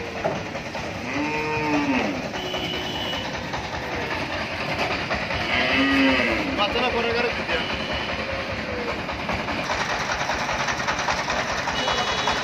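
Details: Dairy cows of several breeds on a farm in Bangladesh: two deep mooing calls, the second louder, over a continuous rumbling, clattering background noise.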